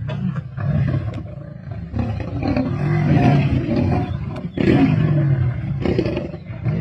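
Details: Black Dam male lions feasting with the Avoca Pride on 31 March 2024, Sabi Sands: deep, rumbling growls and snarls overlap almost continuously, with sharp louder bursts near the fourth second and ripping, scuffling feeding noises throughout.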